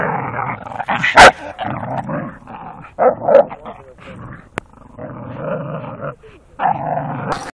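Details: Playful tussle between a four-year-old Staffordshire Bull Terrier and a five-month-old American Staffordshire Terrier: drawn-out, harmonic throaty growls rising and falling in waves, one loud sharp bark early, faint voices in the background.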